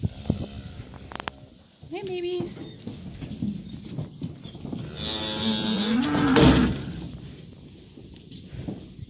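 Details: Cattle, cows and calves heading out to green summer pasture, give a drawn-out, wavering low moo that rises and falls near the end, among clattering, shuffling farm sounds and a few human voices.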